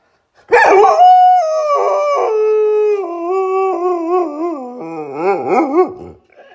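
An Alaskan Malamute howls in long, sliding tones that waver and break near the end.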